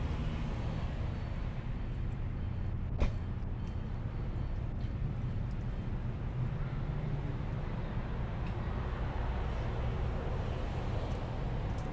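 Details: Steady low rumble of passing vehicles and engine noise outdoors in an urban setting, with a brief sharp click near the third second and no animal voices.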